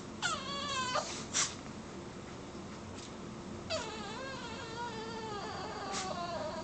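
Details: Bruce, a pet dog, cries while being teased; high, wavering whimpers with rich harmonics sliding downward, two drawn-out cries separated by a quiet gap, over steady indoor hiss.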